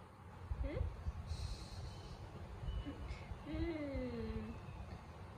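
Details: Pet cat whining coyly after being beaten in a play fight, giving a short squeak and then a soft, longer meow that falls in pitch, low and quiet against room noise with faint voices.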